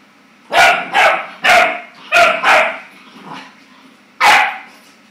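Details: Frightened Clumber Spaniel pup reacting to his reflection: a quick string of five loud barks, a soft muffled one, then a final bark after a short pause, over low steady hum.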